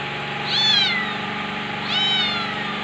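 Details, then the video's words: Two clear, high kitten meows about a second and a half apart, each starting sharply and drawing out into a falling tail, backed by a low steady hum. "Billi meiow meion | cute cat kitten meow sound | meowing"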